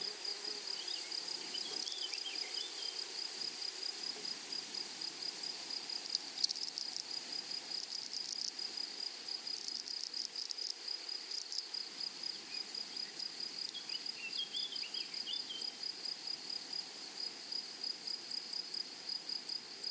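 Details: Flowery meadow with grasshoppers: a steady, piercing high trill continues throughout, while louder dry buzzing bursts break in around the middle, with faint twittering notes early and late.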